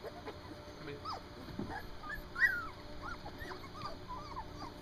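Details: Standard Poodle puppies, three weeks old, outdoors for the first time, give repeated high squeaky whimpers throughout, with one sharper, louder yelp near the middle, against a constant low hum.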